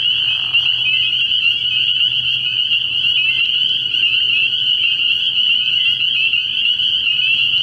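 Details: Early-year frog pond at night, full of spring peepers whose countless high, shrill peeps blend into an unbroken ringing chorus over a quiet low rumble.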